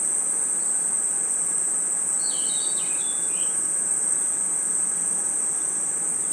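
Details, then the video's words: Crickets and other insects at night in a forest: a steady, shrill, unbroken high-pitched ringing drone, with a brief cluster of short, sliding chirps partway through. "Forest Night Ambience 🌿 Crickets & Insects Chirping Sounds"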